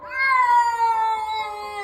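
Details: An uninvited stray cat that has just come into a home gives a loud, drawn-out meow indoors. The meow is strongly tonal and slowly falls in pitch over nearly two seconds. No other sounds stand out.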